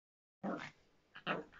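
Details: Miniature Pinscher giving two short, sharp barks about a second apart, each a brief burst with a fast onset, heard indoors in a small room with silence before the first bark.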